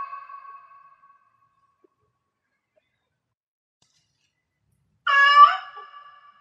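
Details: Cat in heat calling: a soft, trailing meow at the start, several seconds of silence, then one loud, sharp harmonic meow that falls away into a thin lingering tone.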